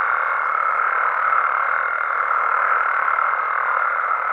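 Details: Chorus of frogs and toads after dark in Mexico: overlapping croaks fused into a dense, even drone with a thin higher tone above, steady from start to end, no other clear sounds.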